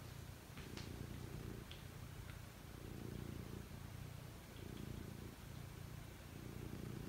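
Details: Pet cat getting ready for sleep, giving a deep continuous purr that rises and falls in even breath-paced waves about every second, with a few faint clicks early on.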